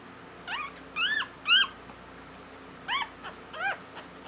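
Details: Female Havanese puppy only just born on Valentine's Day squeaking in short, high, curved yelps. A pair of louder cries comes near the start and a few softer ones follow, over a quiet steady background hum.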